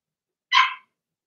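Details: A single brief, bright yappy bark from a Blenheim Cavalier King Charles Spaniel puppy, one of a litter of six kept in a home puppy pen.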